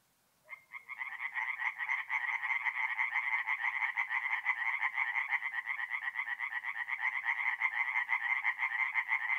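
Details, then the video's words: Chorus of tree frogs at a forest pond by night, mid-April, north-east Italy; begins in near silence, then fast, rattling pulsed calls swell within a second into a steady continuous wall of overlapping croaks. "relaxing forest pond by night with singing tree frogs"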